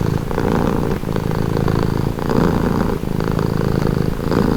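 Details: Relaxed cat purring: a low, throaty rumble with brief dips between breaths at about one and three seconds, otherwise steady and close.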